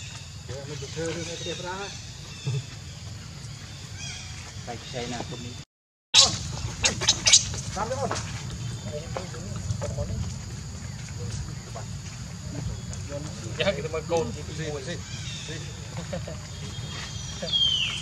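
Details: Baby monkey Leo, pitifully hungry and refused milk by its mother, whimpers in quivering harmonic cries at the start, then in another wavering burst later, between clattering sounds and constant outdoor hiss.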